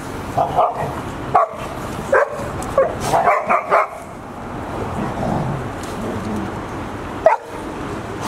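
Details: Half-year-old Golden Retriever puppies Asahi, Owl, Roi and Chiwa, now nearly their mother's size, at Ain village in October 2018. A quick cluster of clipped barks opens, then quiet murmuring and one last bark near the end.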